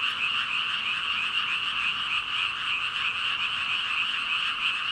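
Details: A chorus of about 5,000 frogs, a dense, steady wall of overlapping ribbiting and croaking that blends into a continuous high buzzing hum with no gaps, constant in loudness throughout.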